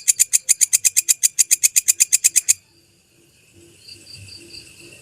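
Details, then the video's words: Belalang kecek grasshopper recorded as songbird tutoring material: a crisp rattling burst of evenly spaced high clicks for about two and a half seconds, then quiet with faint thin whistly tones. "Masteran Suara Belalang Kecek asli"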